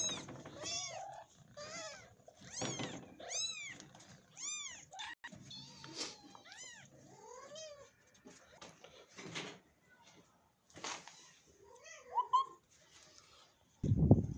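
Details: Indoors, a mother cat and her tiny caged kitten. The mother does not want her kitten touched. Rapid strings of high, rising-falling meows fill the first half, then fade to scattered softer calls with handling noise and a loud knock at the end.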